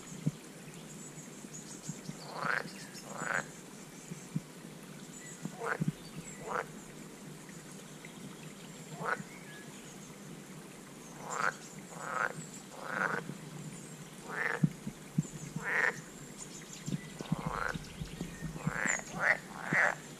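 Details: American bullfrog (Lithobates catesbeianus), call.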